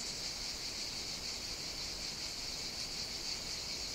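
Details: Cicadas of Evia, Greece, singing in summer heat; continuous high rasping drone with slight fast wavering, several insects overlapping steadily.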